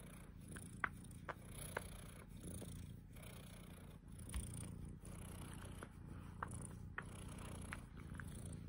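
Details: Mogwai, a pet cat, purrs in a constant deep rumble with rhythmic breathing pulses, dotted by soft short clicks and small rustles.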